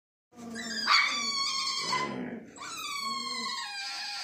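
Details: Female German Shepherd indoors giving a drawn-out, high, harmonic whine that wavers and slides in pitch, briefly dropping to a lower moan near the middle, then resuming as a steady, thin, nasal whine to the end.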